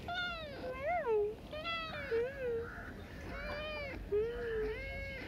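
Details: Street cat meowing repeatedly, four or five clear wavering meows with rising and falling bends, each under a second, amid quiet background and a person's soft voice.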